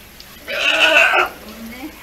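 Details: Captive California sea lion pup, almost one year old, at an aquarium at Ise Sea Paradise in Japan, chasing staff at the feed-preparation area to get attention. Gives one hoarse, bleating call lasting under a second, followed by quiet background.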